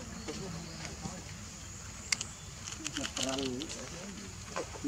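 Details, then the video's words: Baby monkey calls for its mother to give milk: one arched, whining cry just past three seconds stands out amid soft background rustling, faint chatter and scattered clicks. "Lovely baby monkey call mom to give him for milk"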